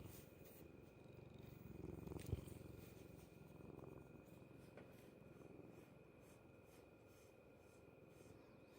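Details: Cat recorded up close, its stomach noise heard as a steady low, rapidly pulsed rumble with a brief louder knock near the middle and a faint steady hum above.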